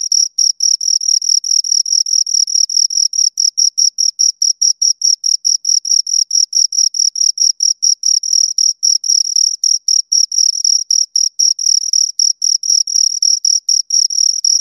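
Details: Two crickets give a long run of shrill, metallic chirps, short bursts repeated about three to four per second with slight unevenness where the two overlap; otherwise complete quiet.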